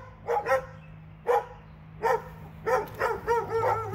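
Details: Sharp, high barks from two dogs in Alabama come in clusters, with single yaps at first and then a quicker run of repeated yips toward the end. A faint low hum runs beneath.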